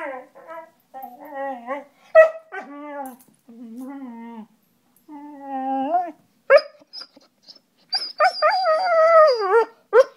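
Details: Playful German Shorthaired Pointer singing: a run of short moaning howls and whines with rising and falling pitch, broken by sharp yips, building to higher, longer wavering howls near the end.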